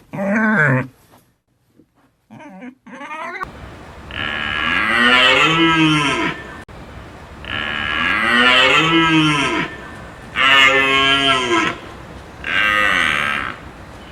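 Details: Domestic cow mooing repeatedly: one short low call and a few faint sounds, then a series of long, loud, harmonic lows that sag in pitch toward their ends, separated by short gaps.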